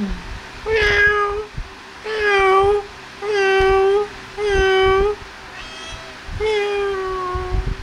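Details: Kittens at play and feeding, one voice giving six clear, even mews in steady succession, each a sustained tone about a second long with short pauses between, over soft background rustling.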